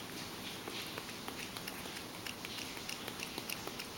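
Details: Mojio the Ragdoll cat laps up beloved goat milk, free of lactose. A brisk run of small wet clicks, roughly three or four each second, sits over low background hiss.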